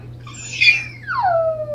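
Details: Smudge, a household dog, gives a single drawn-out howl, starting high and gliding smoothly downward into a lower sustained tone, against a steady background hum indoors.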